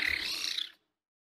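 A caracal gives one harsh, breathy, hiss-like burst lasting under a second, high and raspy, then silence.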